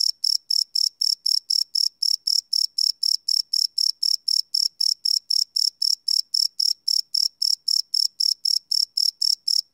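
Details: Nighttime crickets recorded live on a Sony PCM D100 field recorder produce a continuous series of piercing chirps, about four a second, regular and unchanging in loudness throughout.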